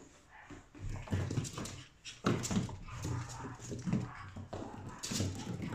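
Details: Male Chihuahua born on 1 November, a customer's pet dog, indoors in a small room. Soft whimpers and short whiny yelps come in uneven bursts every second or so, with some rustling between them.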